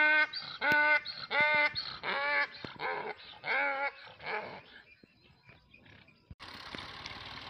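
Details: Donkeys braying: a run of loud, harmonic, honking calls in quick alternating bursts over the first four seconds, then fading to softer noises, with a broad hiss at the end.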